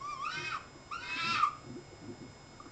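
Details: Three foxes, recorded 14 May; a fox gives two wavering, whine-like calls, each about half a second long with a short pause between.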